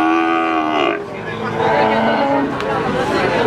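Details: Adult feeder cattle at Pasar Sapi Wagenan, a cattle market in Pati, Indonesia, on 5 March 2019: a drawn-out harmonic moo lasting about a second, then market chatter and voices of traders close by.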